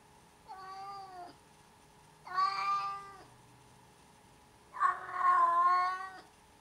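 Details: Cat indoors uttering three long, steady meows with rich harmonics, each lasting about a second, the last one loudest and slightly strained, separated by short quiet gaps.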